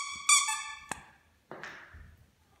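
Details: A Bichon Frise back home after a visit to the groomer gives a short, high squeaky whine, then a sharp click and a second brief, breathier whimper in a quiet room.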